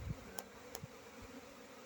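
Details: Honey bee buzzing: a steady, low droning hum holds throughout, with two sharp clicks near the start and a soft thump at the opening.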